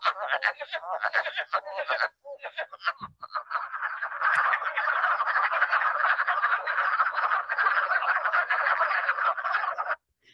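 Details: Long Island wood frog chorus, compared to a crowd of mini ducklings quacking: rapid, rough clucks about four per second at first, then merging into a dense unbroken rattle of overlapping quacks before stopping abruptly.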